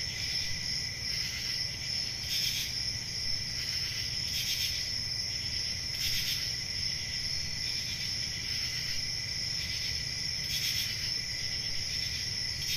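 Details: Crickets on a peaceful country summer night, a dense continuous high-pitched trill with soft rhythmic pulses swelling every second or two, steady throughout over a faint low rumble.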